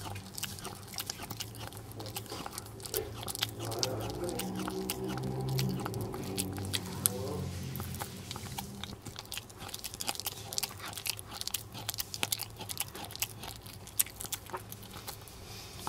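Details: Jamong, a male Maltese born December 2015 in Gwangju, eats duck neck bones indoors: steady wet crunching and gnawing, irregular bites about two per second, with a faint low hum in the middle.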